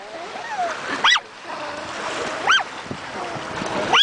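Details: Chihuahua named Niles on his first visit to the ocean, summer 2008, barking at every wave, stirred up by wind and surf: three short, sharp high yaps about every one and a half seconds over wave and wind noise, with a voice talking.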